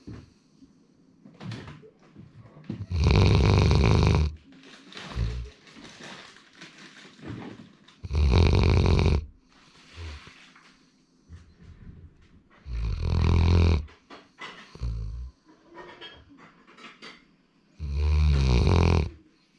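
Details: Indoors, male Labrador Retriever Sora snores steadily: four loud, grating, low snores roughly five seconds apart, with softer snuffling breaths and faint household sounds between them.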